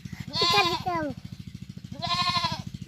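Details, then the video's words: Baby goat playing with a boy, crying, as people note it cries and say to take it to its mother; two wavering, harmonic-rich bleats about 1.5 seconds apart over a steady pulsing hum, with voices nearby. "ছাগল || ছাগলের বাচ্চা || ব্যা ব্যা||Goat ||Baby goat"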